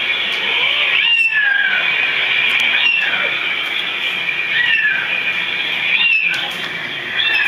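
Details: Cats hearing other cats meow join in with a few overlapping, bending meows, some long and drawn out, over constant background hiss.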